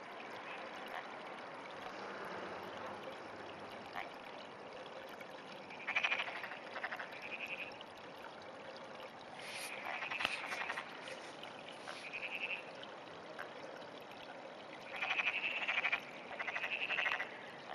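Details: Frog calling in the early morning of 17 June 2009, giving short pulsed, rattling calls in scattered bursts, some in quick pairs, over a steady hiss of running water.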